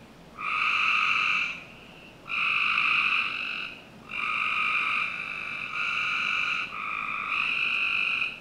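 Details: Several frogs in a Northern Virginia home's backyard on a summer night, giving long buzzy trilled calls that follow closely one after another, the later ones nearly continuous.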